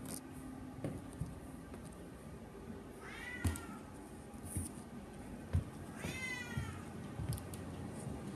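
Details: Hungry pet cat named Paco meows twice, each a short rising-and-falling whine about three seconds apart, against a steady low room hum with scattered taps.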